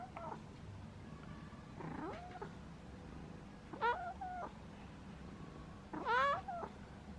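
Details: Pet cat, shown in its sleeping posture: four short meows spaced about two seconds apart, each bending up then down, the last two louder and clearer, over quiet room background; a person softly calls afterward.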